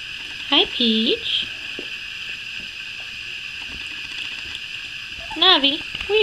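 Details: Two-week-old puppies, eyes newly opened, heard in the morning: two bursts of thin, wavering whines, each a short run of rising and falling squeaks, with a quiet pause between them and a steady background hum.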